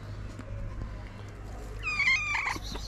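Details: Stray street cat wanting love and food utters one short, high, slightly wavering meow late in the recording after a stretch of low hum and quiet background noise.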